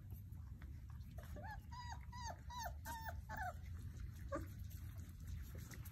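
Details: Basset Hound puppies during play yelp in a brief run of bent, whiny yips mid-clip, over a strong low rumbling background that continues throughout.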